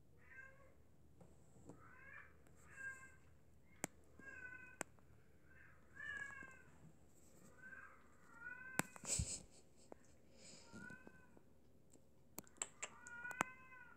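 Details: British Shorthair cat from a cattery, around drinking water, meowing about ten times in quick succession: short, harmonic, slightly rising-then-falling mews, some in close pairs, with a few sharp clicks and a brief rustle between them.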